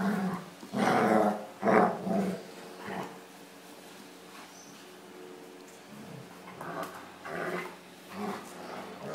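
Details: Play fight between a 15-month-old German shepherd and a 9-month-old American pitbull, two males; loud rough growling bursts in the first two seconds, then softer grumbles and huffs with a man's voice nearby.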